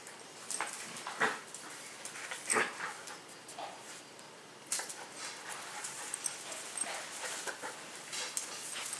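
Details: Indoor play with three pet dogs, a Husky-Shepherd mix, a Pomeranian and a Miniature Schnauzer; scattered brief yips and whines spaced a second or two apart over soft rustles and clicks.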